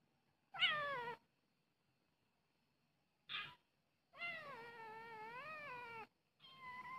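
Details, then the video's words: Charcoal cat meowing: a sharp falling meow, a brief nasal squeak, then a long wavering two-second meow that dips and rises before a final drawn-out call, all clear against near silence. "charcoal kucing"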